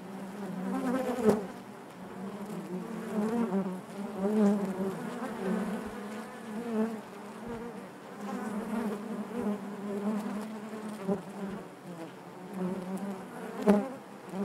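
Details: Honey bees humming in the hive make a thick, layered buzz that surges and eases every few seconds, with faint taps and clicks at times.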